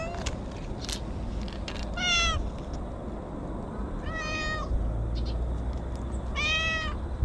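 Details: A stray orange tabby cat comes out in its own territory and gives three clear, harmonic meows roughly two seconds apart, each arching up then down, over low outdoor rumble and faint clicks.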